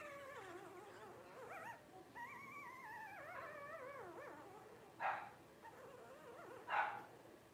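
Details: Newborn Blenheim Cavalier King Charles Spaniel puppies, 12 days old, from a litter of five born on New Year's 2023: long wavering whines rising and falling, overlapping, with two sharper squeaks near the end.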